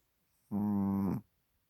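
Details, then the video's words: Sleeping Chihuahua Hodu, deeply asleep on a microfiber blanket with flaring nostrils; one brief, steady, buzzy nasal snore lasting under a second in a quiet indoor setting. "Snoring Chihuahua 코 고는 치와와 호두"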